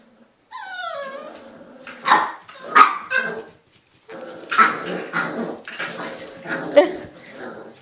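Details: Three male Irish Jack Russell Terrier puppies, Mushroom, Portobello and Patty, at play: a high whine slides downward, then bursts of rough, scrappy barking and growling come in clusters, with a woman speaking now and then.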